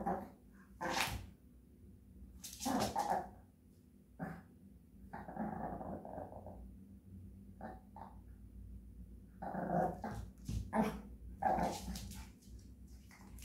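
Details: Japanese Chin dog singing in grumbling, moaning runs: throaty, growl-edged yowls rising and falling in loose groups, some notes held about a second, with short silences between.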